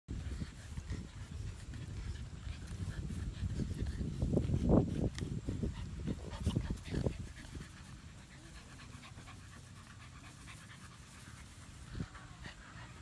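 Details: American Bully puppies from summer 2017 litters, only two of them littermates, playing together in a playpen; breathy panting and scuffling bursts build toward the middle, loudest around four to seven seconds, then fade to a low steady rumble.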